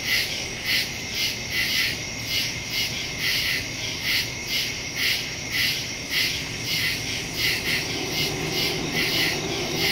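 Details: Crickets in the woods at night, recorded September 2, 2023 on a Samsung Galaxy S22 Ultra phone with a Shure MV88+ stereo microphone; steady high pulsing chirps, about two per second, layered over a continuous insect hum.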